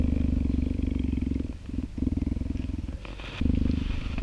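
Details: Captive-born female cheetah, about three years old, purring while a volunteer pets her during enrichment time in an open yard on a summer day after rain; a steady, deep, rapidly pulsing rumble with brief dips around the middle.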